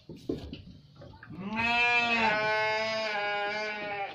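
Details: A Garut sheep gives a long, loud, quavering bleat lasting nearly three seconds, after a few faint scuffling sounds at the start.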